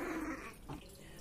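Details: A Shih Tzu at home gives a brief, tense, aggressive vocal growl, voiced and somewhat tonal, with a second short burst; the owner asks why it is so angry and whether it didn't get paratha.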